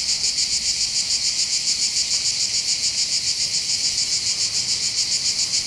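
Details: Cicadas on the heights near Bandol in the Var, by the Mediterranean Sea: a bright, insistent buzzing drone beating in very regular rapid pulses, about three and a half each second, filling the air on its own.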